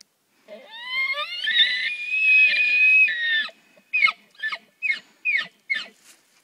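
An elk gives a long, rising, whistled scream, then a run of short, grunting chuckles.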